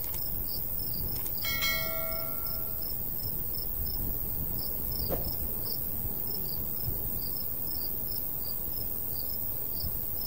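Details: Crickets in a summer countryside wheat field chirp in a fast regular beat; early on a brief ringing bell-like tone with clear overtones sounds, and a short click follows midway, over light breeze.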